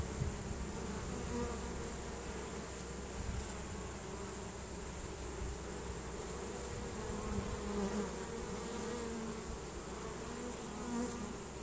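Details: Swarm of honey bees streaming into a new home after catching the scent of Nasanov pheromone; continuous low droning hum with faint higher whining tones rising and falling over it, no other clear sounds.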